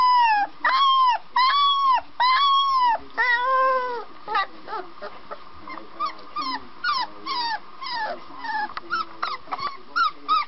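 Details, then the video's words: Puppy barks, long and squealing, with strong harmonics. They arrive in steady bursts of about a second at first, then break into quicker, shorter wavering yips and whimpers toward the end. "Funny Puppies Barking Compilation"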